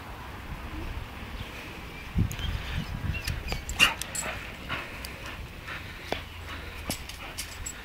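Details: Charlie, a pet dog, spots a cat and wants to play: soft, low whimpering yips cluster in a brief burst midway, then fade into quiet background hiss broken by a few sharp clicks.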